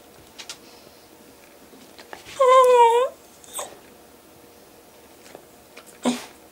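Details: Milloup, a longhaired dachshund indoors, pleads with his owner for food: a single wavering, warbling whine of about half a second, rich in harmonics, with a few soft clicks and taps around it in a quiet room.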